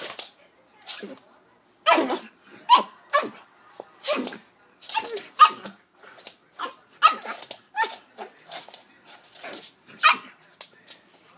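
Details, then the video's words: Five-month-old Pug puppy indoors, angry at two noise-making stuffed toys, gives a run of short, sharp barks and yaps at irregular intervals, some closely spaced, with quiet gaps between bursts. "mad at the talking stuffed toys"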